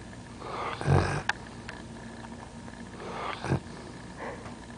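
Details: A sleeping dog snoring: two rough, low, rasping breaths about two and a half seconds apart, each a short harsh swell, over a steady faint background hiss.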